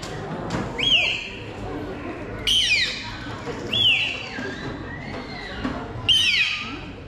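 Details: Bottlenose dolphins of a show family at Zoomarine Algarve, Portugal, give sharp, rising and falling whistles in several separate bursts during a dolphin show, presented as a variety of their sounds.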